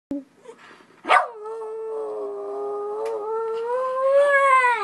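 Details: Miniature schnauzers singing: after a short yelp, a sustained tonal howl holds steady for about three seconds with rich harmonics, then swells louder and rises slightly in pitch toward the end.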